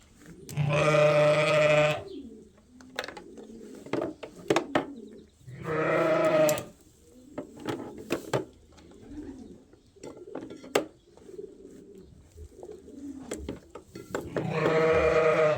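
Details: Bleating sheep on Ewetopia Farms while the last twin lambs are tagged. Two long, strained bleats open and follow, and a third starts near the end, separated by stretches of soft shuffling and faint background noise.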